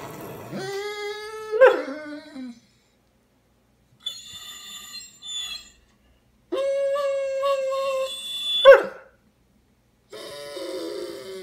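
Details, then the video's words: Dobermann, tired and apparently wanting to go to bed, howls indoors in several drawn-out, steady tonal bursts separated by silences, one burst ending in a sharp yelp-like break. "Tired Doberman"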